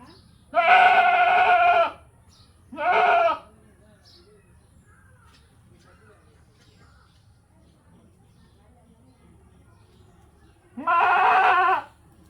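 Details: Bleating goat giving a long wavering bleat, then a shorter one, a long silent gap of about seven seconds, and a final drawn-out bleat, over faint low background noise.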